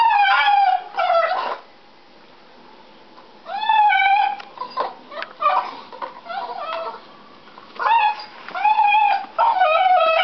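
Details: Whining and crying from a deaf domestic dog gnawing on a stick: loud, drawn-out howl-like whines that bend up then down, in three main bouts with a quieter stretch of short whimpers between.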